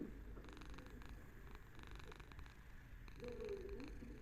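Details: Domestic cat purring soothingly, a low continuous rumble with rhythmic breathing pulses and a brief higher tonal sound near the end, recorded indoors.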